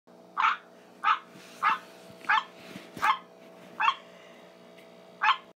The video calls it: Green tree frogs croaking